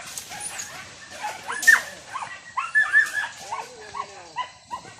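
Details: Village dogs barking during a traditional wild boar hunt with dogs and spears: short yelping barks and whines from several dogs, with some rising and falling yips, mixed with rustling.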